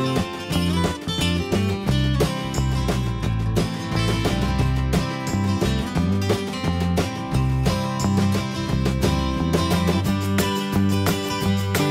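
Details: Plucked and strummed guitar music fills the whole stretch, with no animal calls.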